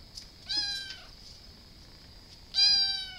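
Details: Domestic cat giving two clear, drawn-out meows about two seconds apart, each steady then slightly falling, over a constant high-pitched electrical hum.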